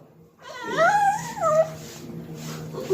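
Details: A male Cocker Spaniel puppy gives a wavering, whining vocalization that rises and falls like a yodel, his usual call when dinner time comes.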